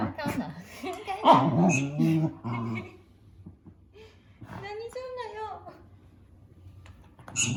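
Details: Pet dog indoors complaining at the squeaking of a mouse game for cats on a tablet: wavering, talkative whines and grumbles in the first three seconds, then quieter thin squeaks and a short high whine before a final loud burst.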